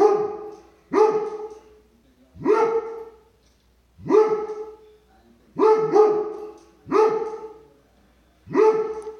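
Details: Dobermann barking at squirrels: loud, deep single barks with a sharp onset and short falling tail, seven in about nine seconds, roughly one every one to one and a half seconds, with quiet gaps between.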